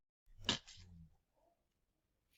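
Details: Slowed-down replay of a domestic cat's spit followed by a hiss: one explosive, noisy burst, then a softer, rough, lower rasp fading within half a second, leaving quiet.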